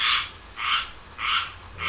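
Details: Frogs in the south during summer giving rhythmic raspy croaks, four bursts spaced about six tenths of a second apart, each harsh and buzzy, with little else audible.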